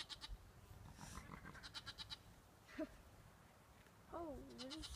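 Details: A desert bighorn lamb in Zion National Park gives a wavering, nasal bleat, calling out after being separated from its mother by a small slot canyon.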